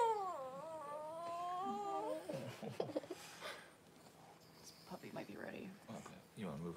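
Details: Cavalier King Charles Spaniel Paris, a mother dog whelping her first puppies on January 1, with newborn puppies present; a wavering, whine-like tonal cry dips and rises for about two seconds, then human voices take over.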